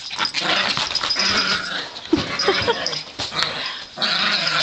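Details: Several pet Yorkshire Terriers, females, playing rough with each other indoors; broadband growls and snarls with yappy noise through the clip, a woman's voice urging them to be nice.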